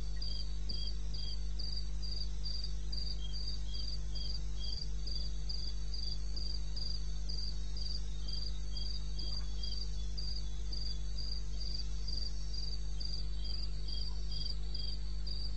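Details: Recorded at 02:30 on 21 May 16 in the eastern Botswana wilderness, a cricket chirps fast and evenly, near four pulses a second, a softer chirping voice alongside, over a steady low rumble.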